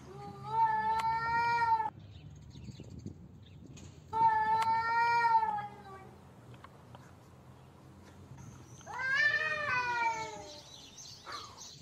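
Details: Cats in a fight, uttering three separate drawn-out, nasal yowls several seconds apart, the last one rising and wavering, over low background noise.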